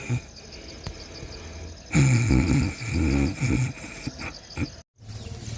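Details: A monkey sleeping in the early morning snores in low, rough, rumbling bursts, with a steady background hum.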